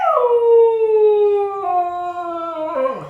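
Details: A pet husky dog 'talks' to its owner as a hello greeting: one long, smooth howl-like moan that starts higher, then slowly slides downward and wavers slightly, with a brief lift near the end.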